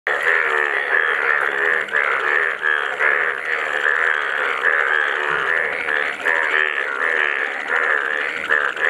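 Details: Dense chorus of many frogs in Nepal, including a yellow frog: overlapping rapid pulsed croaks in a continuous mid-pitched band, steady throughout with no pauses, plus a faint high hiss.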